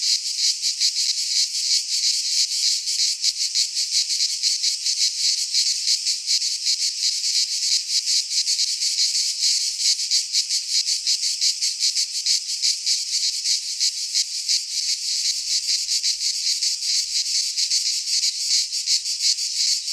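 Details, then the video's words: Greek cicadas in a pine forest at midsummer: a constant metallic, hissing wall of sound beating in fast, rough pulses for the whole stretch, no birds or voices. "Cicadas singing in midsummer - Nature sounds from the Greek fauna - Sounds of cicadas"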